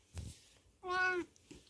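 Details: Domestic cat indoors, acting cute and asking to be petted, giving one short clear meow that falls slightly in pitch, between quiet rustles and a low hum.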